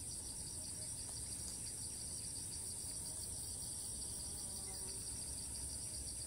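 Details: Cicada in Thailand, filmed from a distance, repeatedly flying to new spots and resuming its call as soon as it lands; a steady, high, finely pulsing buzz runs unbroken through the whole clip over a low rumbling background.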